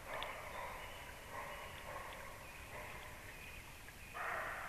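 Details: A deer gives several hoarse, gruff, breathy barks at uneven intervals, about a second apart, near a nest at 19:31, over a soft hiss of outdoor ambience and faint rustling.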